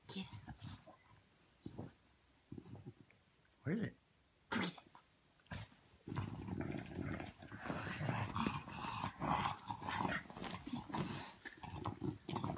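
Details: Bulldog indoors, frustrated while searching for her ball under the covers; a woman speaks at first, then from midway a rough, continuous low growling grumble with snorting bursts fills the rest.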